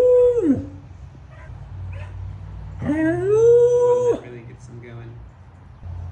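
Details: Samoyed dog howling: a long tonal note held level then sliding steeply down, followed after a pause by a rising note that holds steady before breaking off, with soft background noise between.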